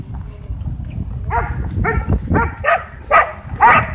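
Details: Dog park barking at a DJI Mavic 2 drone: six short, sharp barks about half a second apart, rising in loudness, over low background rumble.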